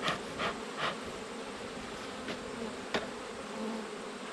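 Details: Steady low buzzing of a honey bee colony during an autumn hive inspection of a weak hive, overlaid by several sharp broadband knocks from handled frames, bunched at the start and one more near three seconds.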